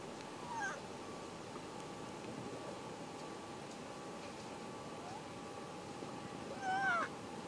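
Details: A newborn harp seal pup rolling in the snow gives two brief, wavering, cat-like mewing cries over steady windy noise.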